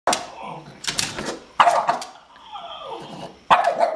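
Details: Madison, a 10-year-old Boston Terrier, confronting a kitten indoors: short, harsh bark bursts come in quick clusters, about four within four seconds, with a softer descending tone between them in a small room.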